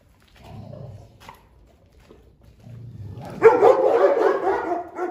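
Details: Fierce Presa Canario aggressively guarding its food: a low, quiet rumbling growl, a pause, then a sudden loud, harsh snarling outburst that carries on to the end.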